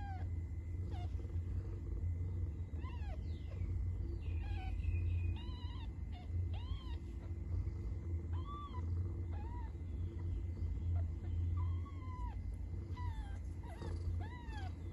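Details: Repeated cat meows, short arched mews coming every second or so, some overlapping and varying in pitch, against a constant deep droning rumble.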